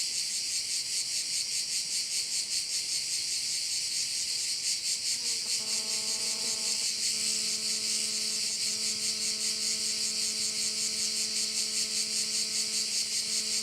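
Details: Crickets shrill from a bay on Korčula, a bright, pulsing buzz repeating roughly two and a half times per second; halfway through a constant low tonal hum with stacked overtones starts and continues to the end.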